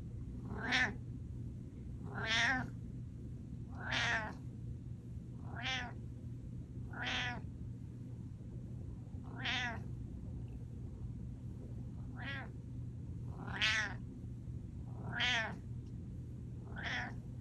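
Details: Domestic cat giving a mew alarm indoors: about ten short, bright meows, each rising then falling, repeated roughly every one and a half seconds over a steady low hum.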